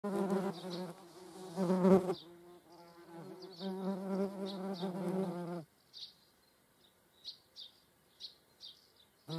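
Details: Median wasps (Dolichovespula media) alongside honeybees in the Eifel: a low, steady buzz with rich overtones, wavering in pitch, then fading to soft ticks.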